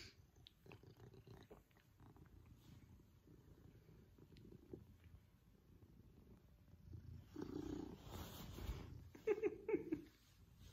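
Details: Pippin, an affectionate male Maine Coon, purring louder as he enjoys a cuddle and attention from his family; a low pulsing purr throughout, about once a second, with a woman speaking gently near the end.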